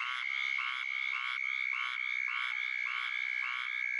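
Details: Squirrel treefrog calling in rapid duck-like quacks, harsh nasal notes repeated about twice a second in a steady run, over a continuous high, even ringing tone in the background.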